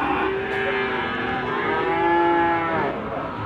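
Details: Limousin calves at Gondanglegi livestock market in Malang, East Java, on 12 February 2020: several calves low overlapping drawn-out moos that run through the clip, with busy market background.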